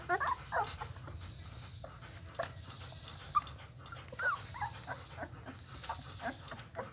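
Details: German Shepherd puppies with eyes only partly open, just fed and settling to sleep piled together, make scattered soft whimpers and thin squeaks amid rustling and low background hum.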